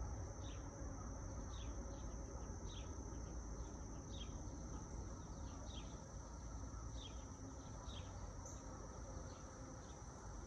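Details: Cicadas in a field recording among trees, with light traffic and wind through the trees: a steady high buzzing drone and short chirps repeating about every second, over a constant low rumble of traffic.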